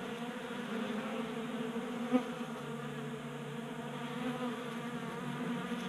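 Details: Swarm of honey bees at a table-top 3D-printed feeder in a Colorado garage, January, unusually warm; constant buzzy drone of wings with a brief sharp tap near the middle.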